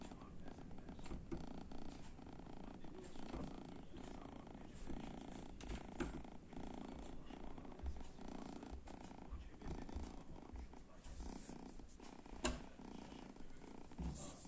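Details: Sleeping kitten lying before an oven gives a continuous low, rumbling snore like a gentle purr, breath after breath, over quiet indoor background with a sharp tap near the end.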